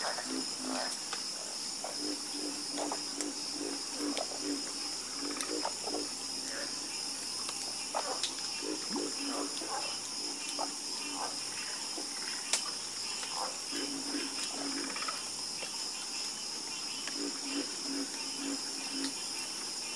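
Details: Frogs croaking in a chorus: scattered, short raspy croaks come in loose clusters at irregular intervals, with a continuous high-pitched insect-like drone running underneath the whole time.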